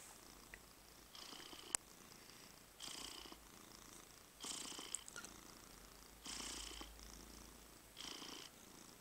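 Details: Domestic cat purring while being massaged; broadband rasping bursts about half a second to a second long come in an uneven rhythm, roughly every one to two seconds, with quiet gaps between them.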